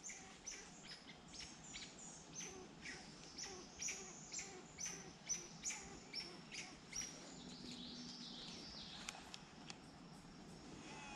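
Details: Amid a "squirrel war zone" in woods of York County, Pennsylvania, what the observer is pretty sure is an Eastern gray squirrel gives sharp chirping calls, about two each second, over a soft outdoor hiss.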